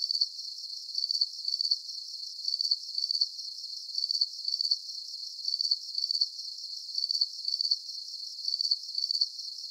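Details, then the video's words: Crickets give sharp, shrill pulsed chirps in regular short bursts, two or three per second, against a steady background of fainter high insect trilling. "Calming Cricket Sounds"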